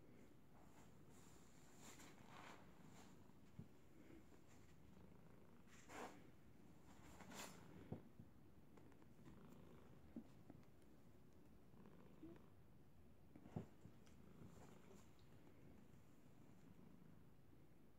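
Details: Domestic cat purring loudly while cuddled and hugged by a pit bull type dog it usually sleeps with, indoors; a steady low rumbling purr runs throughout, with a few soft clicks and rustles.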